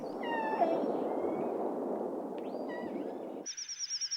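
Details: Orca calls during the birthing season: bright, harmonic squeals that rise and bend over a rumbling underwater background, heard kilometres away and letting calves always know where their parents are.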